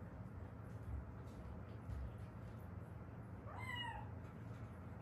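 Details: Rescued Haeundae stray cat, from a mother-and-daughter pair that lived seven years outdoors with crooked-healed fractures from a car accident. One short meow sweeping up then dropping, late in the clip, over a constant low rumble.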